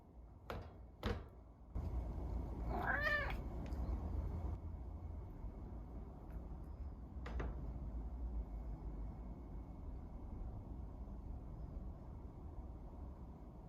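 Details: Pet cat Ran-kun, filmed indoors wanting out of his cage or asking for food, gives one drawn-out wavering meow near the middle, rising then falling, over a steady low hum with a few knocks and a brief sharp tap later.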